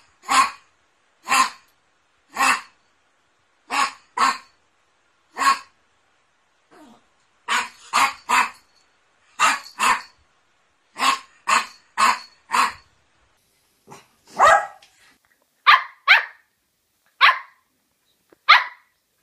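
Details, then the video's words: Poodle barking in short, sharp bursts, often in pairs or quick threes, separated by brief pauses; near the end the barks turn higher and thinner. No other sounds are heard. "OUÇA O SOM DO CACHORRO POODLE LATINDO"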